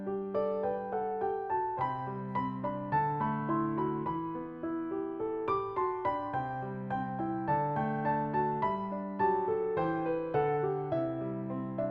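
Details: Gentle piano melody with soft chords and steady plucked notes in a lullaby-like style; no animal voices.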